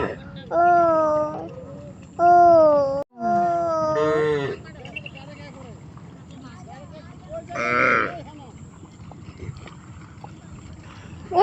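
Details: Cattle crossing a river to reach grass on the far bank. Three drawn-out, wavering moos come in quick succession in the first four seconds. A rougher, noisier burst follows near the eighth second, with people talking and music in the background.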